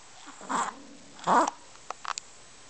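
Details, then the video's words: Kenny, a Chihuahua, snoring: two short, rasping, snorting breath bursts less than a second apart, then a few faint clicks in a quiet indoor space. "Kenny, the Snoring Chihuahua"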